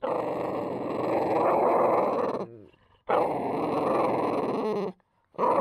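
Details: Angry French Bulldog guarding a deer bone it does not want taken, giving sustained harsh growls about two seconds long, broken by short silences and then resumed.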